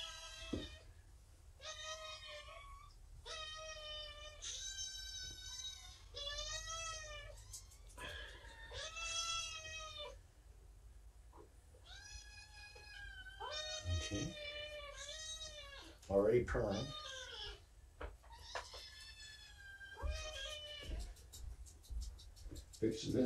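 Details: A litter of five shelter kittens, about seven weeks old on arrival, found abandoned beside a road and cared for at Purrfect Pals, meows repeatedly in the morning: bright, rising-then-falling mews, often overlapping, with brief handling noises between calls.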